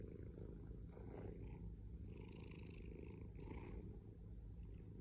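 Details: Heavy low purring from a male pet cat, rumbling and grainy, with a couple of airy breath surges across a few seconds.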